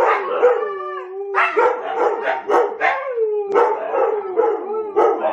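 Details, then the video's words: Several huskies howling together, in a session that begins with one dog's growl and barking before the whole group joins in: overlapping long, wavering howls with sliding pitches and sharp yips layered throughout. "How Domi gets the huskies to howl"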